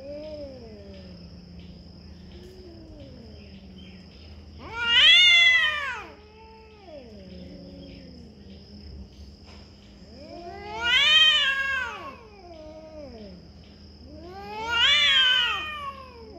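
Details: Cat caterwauling: low, wavering moans build into three loud, strained wails that rise and fall in pitch, each lasting over a second and spaced several seconds apart, with a steady background hum.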